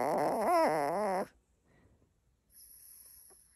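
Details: Puppy whining indoors about being put to bed: a warbling, wavering whine with rapid pitch wobbles, held for just over a second, then near silence with faint room hiss.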